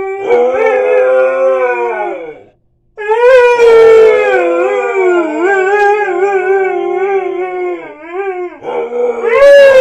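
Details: A Siberian Husky howls in the morning in long, wavering tones, pausing briefly before resuming.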